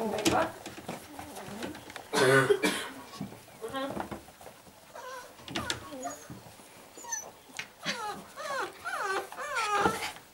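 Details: Five-week-old Airedale Terrier puppies, born 9 February 2014, give high, wavering whimpers and squeals that rise and fall in quick bends, scattered among short broadband scuffling and snuffling bursts.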